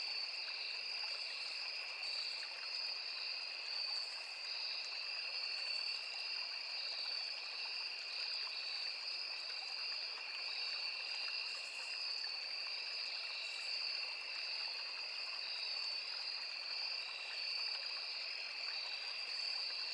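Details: Crickets in a forest beside a small river: a dense, unbroken insect chorus of two steady high buzzing tones, the upper one pulsing in quick regular beats, over a constant soft rush of flowing water.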